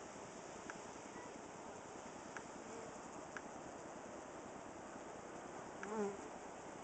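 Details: Western honey bees (Apis mellifera) that moved into a cedar squirrel box fan at the entrance to cool the hive on a hot July 23, 2011, around 95°F: a steady rough hum of many wings.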